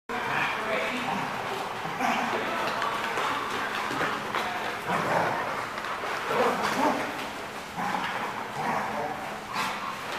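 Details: Dogs at The Barking Lot, recorded 3/9/15, giving short, sharp barks scattered through the clip, some in quick pairs, over a steady background of people talking and general noise.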